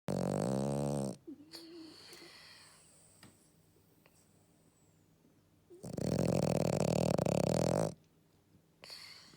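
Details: Matsuri, an 11-year-old female French Bulldog, snoring during a midday nap after a walk: loud rasping harmonic snores lasting about two seconds, separated by quiet breathing gaps.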